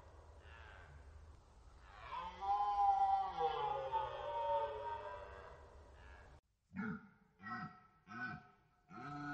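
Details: Red deer stag in rut at the Orzysz training ground, Poland, archival recording: a long, powerful roar lasting about four seconds, then a series of four short grunting barks roughly every 0.7 seconds.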